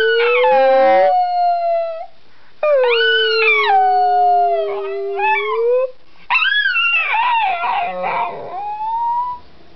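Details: Sleepy Miniature Schnauzer howling: three long harmonic howls separated by short pauses, the first wavering and rising, the second sliding down then slowly up, the last breaking into a rough, quavering cry that ends rising.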